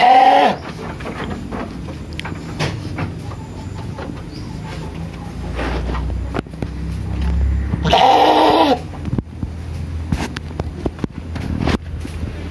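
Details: Sheep on a village farm in Indonesia calling for food: a short bleat at the start and a louder wavering bleat near the middle, with low rumbling and farmyard clatter throughout.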